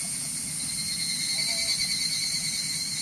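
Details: Higurashi, the evening cicada, heard in the mountains as a continuous high-pitched ringing drone with layered bright tones, unbroken and even throughout.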